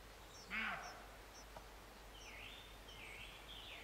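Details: A single abrupt, rough bark from a roe deer near Morpeth, Northumberland, in August 2012, opening the recording, followed by faint high bird calls and soft warbling over a constant background hum.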